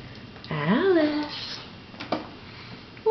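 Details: Alice, a house cat sitting in a bidet during a bout of the crazies, lets out a single drawn-out meow that rises then slides down, followed by a quiet indoor room and a person starting to talk.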